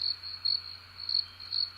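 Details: A real recording of crickets, mostly a single cricket, giving short, high, pure-toned chirps about twice a second; cricket.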